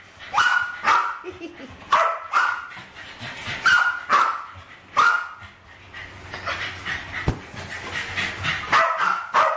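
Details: Westies Alfie and Crystal, around 7 and 8, play with balloons in a kitchen, 2012; high barks in quick runs at first, then a lull with a human voice and scuffling before barking resumes.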